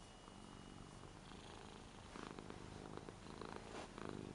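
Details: Lara, an eight-year-old Ragdoll cat, purring in an affectionate mood while petted on a new bed indoors, though she usually dislikes being touched. A low, rough rumble starts quietly, then pulses in soft rhythmic bursts in the second half.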